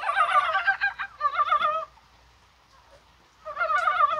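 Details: Mountain frogs croaking in January rain on a mild day, perhaps spawning; two dense bursts of quick, wavering clucks from overlapping callers, a pause of about 1.5 seconds, then another burst.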